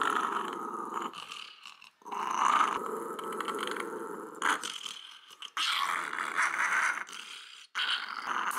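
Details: Small female Japanese Shiba Inu, three years old, kept as a pet in Fukuoka, growling while her nails are cut. She gives long, rough, raspy growls in bursts of one to three seconds, separated by brief silences.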